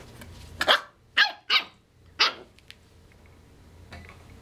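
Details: Cooper, a nine-week-old corgi puppy, indoors trying to get another dog, Buzz, to play: four sharp, high puppy barks in quick succession over about two seconds, the first a double yap, then a faint later yip in a quiet room.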